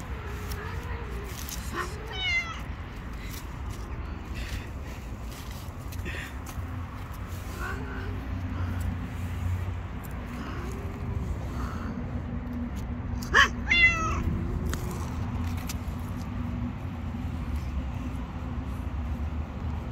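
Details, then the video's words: Hungry stray cat in the street, afraid of other cats, meowing for food: a few scattered short meows, then two louder strained meows in quick succession late on, over continuous low urban hum. "The Hungry Cat wants food from me but is very afraid of other Cats."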